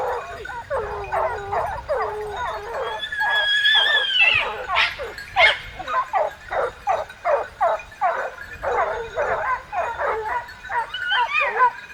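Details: Hunting dogs chasing a boar with hunters in the south of France give rapid, excited barks and yelps, with a high drawn-out whine rising above them.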